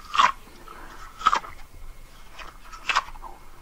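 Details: Siamese cats at home eating treats: four short crunchy bites spaced about a second apart, sharp clicks over quiet room noise.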